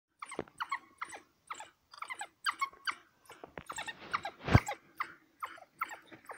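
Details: African wild dogs killing a kudu in Hwange National Park near Gwango, Zimbabwe; rapid high squeaky twittering chirps repeated in quick bursts, with a louder broadband crash partway through.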